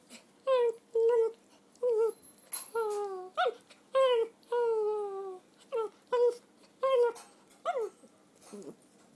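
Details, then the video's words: Whining from Donut, a red toy poodle aged three, in the middle of her usual game: drawn-out nasal whines, several long and gently falling, others short and clipped, repeated in an irregular string with quiet pauses. "Donut and Her Whine"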